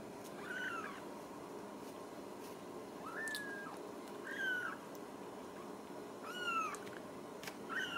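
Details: Ragdoll kittens in a central Kansas home cattery mew repeatedly, high arched cries coming every second or two, some doubled, against low room hiss.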